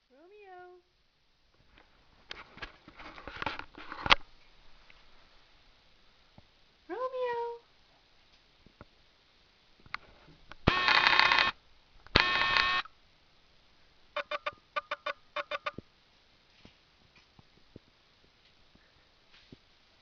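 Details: Three-month-old male kitten from a feline rescue program, on his first night in a new home; a few short rising high meows, then two loud bursts of rustling noise and scattered clicks, with a person calling softly.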